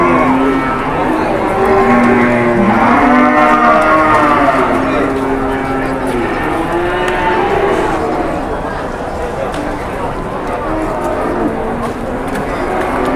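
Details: Cattle in Indonesia during negotiation while a furious cow chases people. Steady, continuous lowing from several animals with layered rising and falling tones over thirteen seconds, against a busy crowd murmur.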